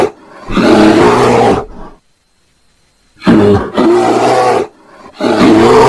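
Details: Bear mating call as rough, throaty roars: one long burst, a pause of silence, then two shorter harsh bursts with a wavering pitched band.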